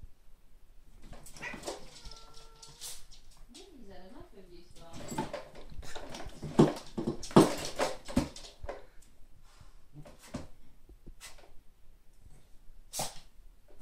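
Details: Two Bengal cats play-fight over the top spot on a scratching post, scuffling with short wavering yowls and breathy hisses, though the owner says they love each other; a person speaks briefly.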